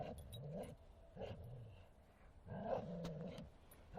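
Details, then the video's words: Bull Terrier playing in a forest, giving low rumbling growls in three bursts with tonal, harmonic play vocalisations, quiet pauses between. "Бультерьер Мартин - игры в лесу"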